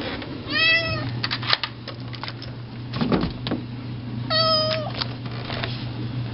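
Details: Garth the indoor cat meowing at the front door, begging to be let out to eat grass, his favourite outdoor snack; two clear meows about four seconds apart with clicks and door-like knocks between them.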